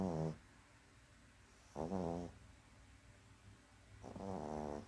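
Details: Sleeping dog snoring indoors: short, low rattling snores with a buzzy layered tone, three heard about two seconds apart, the last one longer and softer, over a steady quiet room hum.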